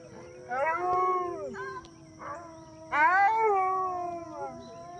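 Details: Wolf joining in a pack howl: long sliding harmonic howls rising then falling, one near one second and a louder one from three seconds, with a steady faint background tone.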